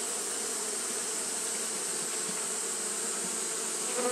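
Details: Japanese honey bees fan through a hot day, producing a level buzzing hum with low tonal bands and short flickers of louder buzz; a steady high hiss persists throughout.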